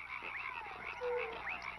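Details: Tree frogs of the genus Hyla in a dense chorus of overlapping high chirping trills, with one brief lower steady tone partway through.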